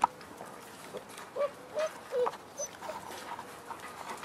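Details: Week-six French Bulldog cross wolf puppies making short, high, squeaky whimpers, several brief notes spaced unevenly over a few seconds, over a background of soft rustling and shuffling.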